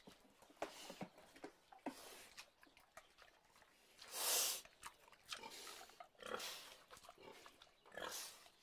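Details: Pig heard in a quiet setting: soft, scattered snuffling clicks and short grunts, broken midway by one loud, harsh, broadband squeal, followed by further brief rasping bursts near the end.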